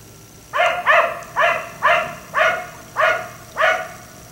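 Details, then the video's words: Late at night, with the dog out until 1am, a black Labrador retriever barks seven times in quick succession, each bark clear and full, spaced roughly every half second. "Dog barking until 1am"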